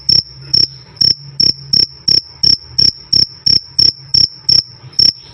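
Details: Loud, clear cricket 'krik krik' calling: a dozen short, bright, slightly pulsed chirps at an even pace, roughly two to three per second, with a soft low hum beneath.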